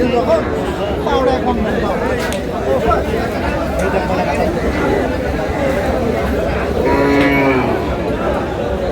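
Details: Cattle calling at the Aftabganj haat, a livestock market in Dinajpur, on 9 August 2026. Crowd chatter and bargaining fill the first seconds before one deep, harmonic moo rises clearly near the end.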